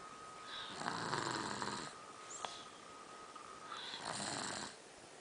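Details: Snoring Savannah cat: two loud, rough, breathy snores about three seconds apart, each lasting around a second. A brief click and a steady high hum sit between them.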